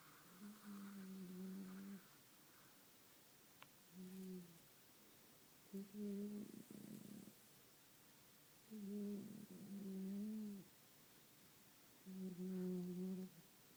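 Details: Staffordshire Bull Terrier puppy asleep and snoring, giving five low, nasal, hum-like snores of one to two seconds each, some wavering slightly in pitch, spaced a few seconds apart in a quiet room.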